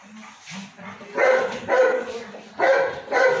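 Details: Beagle puppies barking in short bursts, four loud barks in the second half after softer yips at the start.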